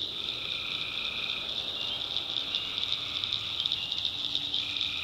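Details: Tree frogs at night in a North Carolina backwoods swamp, a dense high-pitched trilling chorus with faint crackling pulses on top and a lower steady drone beneath.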